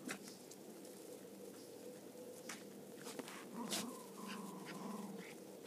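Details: Cairn Terriers at rough play, a mother and son joined now and then by a third dog, the play noisy and full of growls. Rustling and snaps come first, then a rising run of throaty growls over a low background hum.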